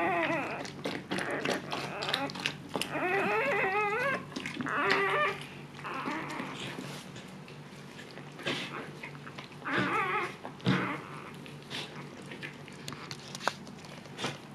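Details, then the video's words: Luna, a Siberian Husky giving birth to puppies in her second labor, lets out wavering, quavering whines in the first seconds, followed by softer scattered cries amid rustling and indoor shuffling. "husky in labor"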